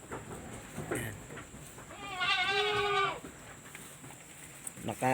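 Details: Newborn goat kid on a farm in the Philippines giving one wavering, nasal bleat of about a second, strongly harmonic and slightly quavering, with people talking quietly before and after.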